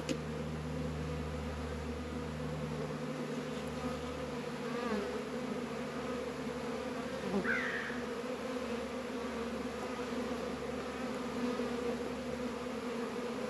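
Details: Honey bees working Warré and Langstroth beehives in northern Kentucky on a 72-degree February day; an unbroken, low, buzzing hum of many bees, with a lower drone dropping away after three seconds and a brief higher chirp midway.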